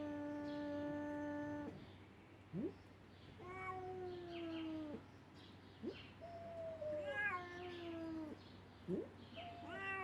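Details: A tiny Siamese kitten pestering a ginger cat gives long, drawn-out yowling meows broken by short, sharp upward squeaks.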